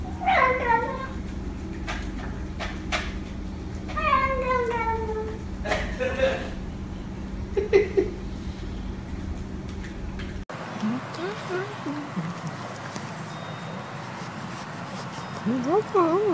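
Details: Cat vocalizing while eating, one of a compilation of cats and kittens. Several short, wavering meows that dip and rise come in bursts through the first ten seconds. After an abrupt cut, more quiet, warbling calls follow over room hum.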